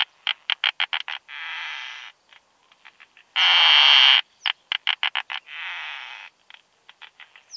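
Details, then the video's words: Isophya costata, the keeled plump bush-cricket, in Austrian meadows at Zitzmannsdorfer Wiesen, 1 June 2020, via Pettersson D 100 ultrasound detector; quick trains of sharp ticks lead into soft hissing buzzes, with one loud intense buzz midway. "Isophya costata -- Breitstirnige Plumpschrecke -- Keeled Plump Bush-cricket"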